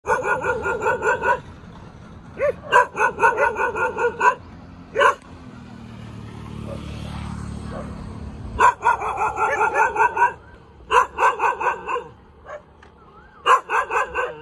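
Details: A cute dog barks in rapid high-pitched bursts of clipped yaps, three clusters split by a quieter stretch of low rumbling background noise around the middle.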